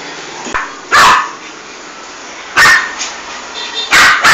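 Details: Female toy poodle indoors in a bathroom, having just killed a big rat, gives three short, sharp barks spaced about one and a half seconds apart over a steady low hiss.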